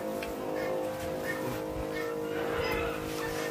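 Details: Soft music mixes with a low vehicle-like rumble and faint indistinct noise, and no animal voice stands out.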